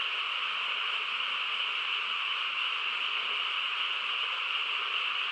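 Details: Frogs in chorus on a quiet countryside night: a dense, unbroken wall of overlapping calls with a bright buzzing band and a lower purring layer, steady throughout with no single caller standing out.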